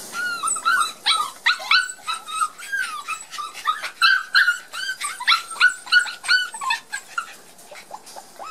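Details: Young Border Collie puppies from Gem and Sky, first time in the garden following their first vaccination, timid and nearly still; continuous shrill yipping and whining, about three cries per second, overlapping voices of several pups.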